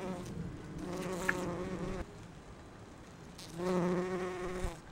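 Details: Pollen-gathering bumblebee resembling Bombus ardens or B. ignitus at rhododendron blooms: a low, even wing hum lasting two seconds, a quieter gap with a faint distant drone, then a second burst of buzzing, plus small clicks.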